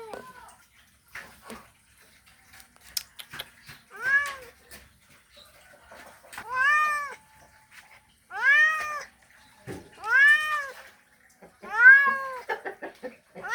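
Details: Male cat calling a female in a mating call: scattered clicks and taps at first, then five rising-and-falling meows arriving every one to two seconds, growing louder toward the end.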